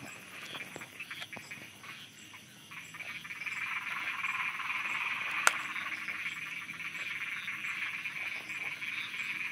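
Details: Frogs croaking at night in Thailand, a dense nocturnal chorus of rapid pulsed croaks, roughly three per second, swelling louder midway with a sharp click near the middle and a steady insect-like hum above.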